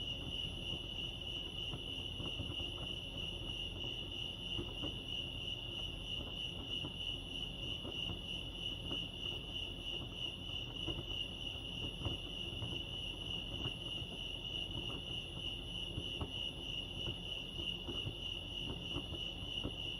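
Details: Lake Arrowhead crickets in California chirp without pause, a high, rapidly trilled pulse repeated at a constant pitch, backed by a quiet low hum of surroundings.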